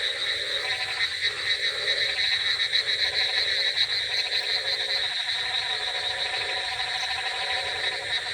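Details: Many frogs calling through a rainy night, their throbbing, pulsed croaks overlapping into a continuous chorus, with steady rain noise throughout.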